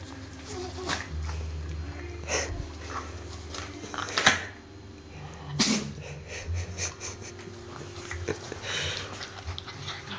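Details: Pet dog indoors in a small room, sneezing repeatedly: three sharp, breathy bursts roughly three to four seconds apart, with faint snuffling and low room hum between them.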